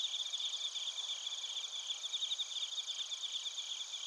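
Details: Bell crickets and other crickets chirp together in Narita, Chiba Prefecture, Japan, recorded on a TASCAM Portacapture X8. Rapid pulsed trills overlap with sustained ringing high tones in a dense, continuous insect chorus; no other sounds intrude.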